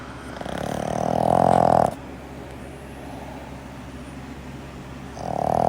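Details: Sleeping Boston terrier giving a loud, buzzy snore that swells over about a second and a half and stops sharply, followed by quiet breathing and the start of the next snore.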